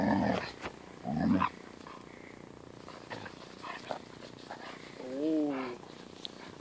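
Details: Siberian Husky, irritated by a playful German Shepherd puppy: two harsh rasping growls close together, then near the end a wavering, whining grumble that bends up and down, with light scuffling noise between.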